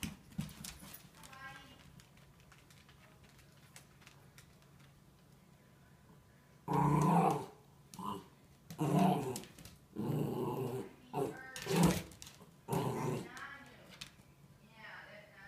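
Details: Wire Fox Terrier puppy teasing another dog with a blue toy dinosaur indoors in a bedroom; a series of loud rough growling bursts in the second half, each about a second long, after a quiet start with faint noises.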